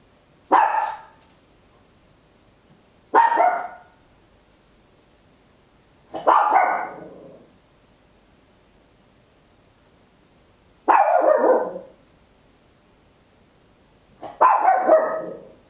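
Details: Small Papillon dog barking loudly indoors at home, captured in stereo on a handheld recorder: five sharp, bright barks spaced two to four seconds apart with quiet gaps between.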